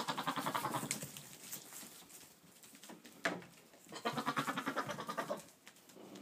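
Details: Boer buck calling to goats, recorded 22 October 2013: a run of rapid, pulsed, quavering bleats, then a quieter gap and another bleat series near the end, with a sharp knock midway.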